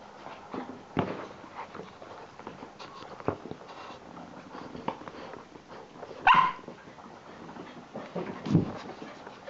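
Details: Cassie, a lively Irish Water Spaniel pup, letting out one short, high, tonal yelp partway through, surrounded by scattered thumps, scuffles and faint low noises of play.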